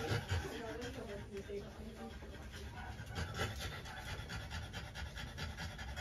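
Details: French Bulldog female panting during trans-cervical insemination, a scope-guided breeding procedure; rapid, rough breathy puffs run through the clip, with low background rumble and faint voices nearby.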